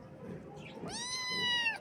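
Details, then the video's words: Morning meow from a baby kitten, one drawn-out call that rises sharply then holds a steady, slightly sinking tone for nearly a second, with faint room noise behind. "Kitten Meows"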